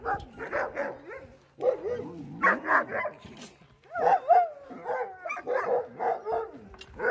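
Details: Sociable Alaskan sled dogs mob a newcomer in greeting, giving bursts of shrill yelps and wavering, rising whines in quick groups, with brief quiet gaps between outbursts.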